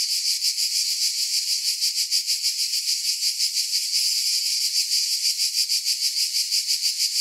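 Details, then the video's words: Cicadas in chorus: a dense, high-pitched buzzing wall of sound that throbs in quick, even pulses, roughly three beats a second, with no low tones and no other sounds. "Relaxing Cicada Sounds"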